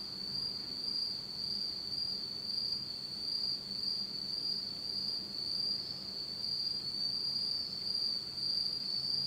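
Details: Autumn night insects in Japan, recorded in total darkness: a steady high-pitched trilling band with a faint overtone above, pulsing slightly in loudness, many callers blending into one continuous ringing chorus.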